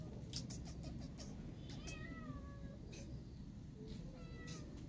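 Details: Hungry kitten stuck up high calling for food: a couple of sliding meows, one longer and one short rising cry, after a burst of clicking and tapping, all above a low droning background.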